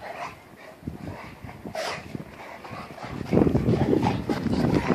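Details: A brindle Spanish Mastiff moving quickly and nimbly; after a quieter opening, a dense, low, rumbling stretch builds in the last two seconds, with scattered noise throughout.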